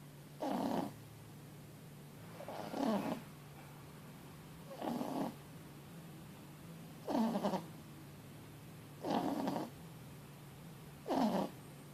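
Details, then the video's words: Mochi, a four-month-old Boston Terrier and French Bulldog cross puppy, snoring loudly while asleep after a long day; six raspy, throaty snores come about every two seconds over a steady low hum. "Un chiot ronfle bruyamment"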